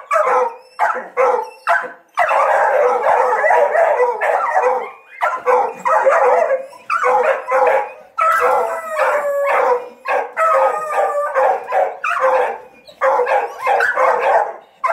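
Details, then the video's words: Hunting dogs training on a paca hunt bay in rapid overlapping barks and yelps, several voices at once, with occasional drawn howling notes mixed into the chorus. "CAÇADA DE PACA, 🐕 Ensinando os cachorros A arte de caçar paca"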